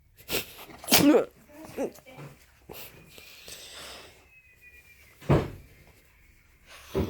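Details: Happy Shih Tzu dog indoors in a small room, giving sharp, broadband sneezes close to the one-second and five-second marks, with a person talking in Korean between them.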